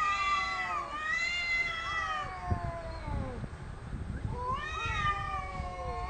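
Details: Cats loudly disputing territory without fighting: bright, rising-then-falling howls, a long warbling wail, a quieter gap with low rumbling, then another surging yowl.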